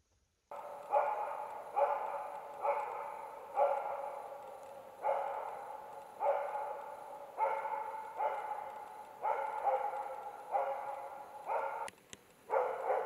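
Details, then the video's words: Karelian Bear Dog barking at two young adult bears during an autumn bear hunt in Finland; steady series of loud, harmonic barks repeated roughly every 0.8 seconds with echoing decay, one brief gap near the end. "Karjalankarhukoira haukkuu karhua. Karelianbeardog barking a bear."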